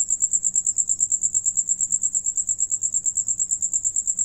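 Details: High, regular cricket trill as several sing and one eats, each rapid pulse evenly spaced at roughly eight a second, loud and clean above a faint low hum.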